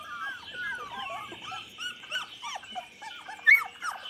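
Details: Chocolate Labrador puppies aged 24 days, filmed 8 November 2014, making soft sliding squeaks and whines, one sharper high yelp near the end, against a constant high-pitched hum.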